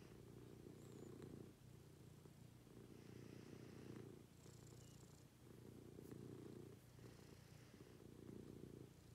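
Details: Morning routine with a domestic cat, whose low, steady purr rises and falls rhythmically with each breath, about every one to one and a half seconds, with quiet room noise and faint high hiss.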